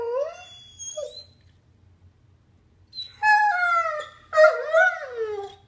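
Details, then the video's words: Missing his owner's mom who has gone, the puppy Copper lets out a falling whine, a pause of near silence, then two loud, quavering howls with rich overtones. "MY DOG HAS A DEEP BARK!!"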